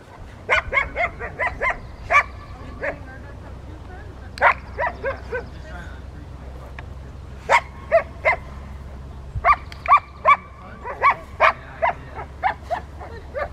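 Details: Rottweiler club obedience session with distraction in Victoria, May 2, 2021, three dogs present; clusters of quick barks separated by short pauses, bright and clipped, with a low background drone throughout.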